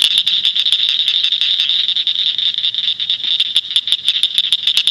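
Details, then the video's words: Northern cricket frog in Shelby County, Illinois, giving a rapid, steady series of sharp, high clicks, like pebbles tapped together. "Northern Cricket Frog"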